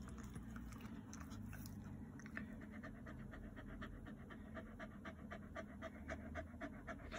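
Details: A Shiba Inu dog kept as a pet pants steadily, quick rhythmic breaths repeated several times a second throughout, fairly quiet against a soft background hiss.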